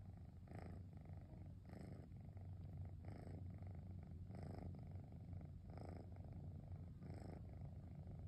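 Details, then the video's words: Domestic cat named Cosmos relaxing on a rainy afternoon, giving a deep motor-like purr: steady low rumble that swells in regular bursts about once a second as it breathes in and out, quiet room. "Cosmos Motor-like Purring sound"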